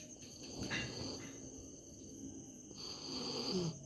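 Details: Misti, a dog sleeping comfortably, snoring: two soft, breathy, rasping breaths, one early and one longer near the end, over a steady high insect whine of crickets.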